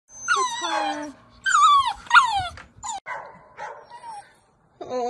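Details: Saint Bernard puppy, reluctant to go downstairs, whimpers in a series of high, whiny cries that slide downward, some wavering, coming in several bursts with short pauses over five seconds.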